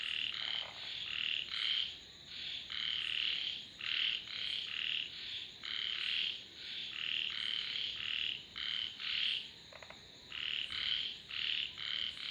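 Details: Steady frog chorus of short, buzzy, high-pitched croaks in quick pulses, several callers overlapping, bursts following each other roughly every half second with brief gaps, under a constant faint high hiss.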